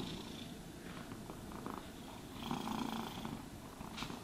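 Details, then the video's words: Short stretch of a cat purring during grooming, a low pulsing rumble beneath scattered rustling brush sounds. "Cats Purring Sounds for Sleep and Stress Relief | Cat Brushing, Cat Grooming Asmr No talking"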